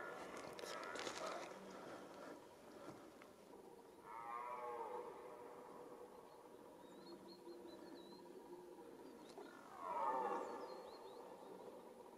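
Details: Red deer roaring in the rut from some distance: two separate hoarse bellows about six seconds apart, the second louder, with brief small bird chirps and rustling in between.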